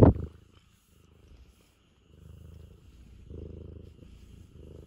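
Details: Affectionate Ragamuffin cat, a sharp bump at the start, then gentle low purring resuming in soft pulsing stretches.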